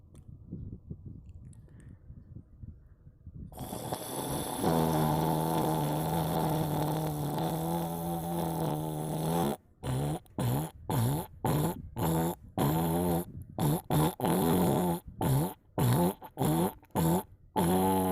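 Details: Sleeping domestic cat snoring: after a quiet opening, a steady low buzzing drone with stacked rough harmonics swells and pulses with each breath, later chopped into short bursts separated by abrupt silent gaps.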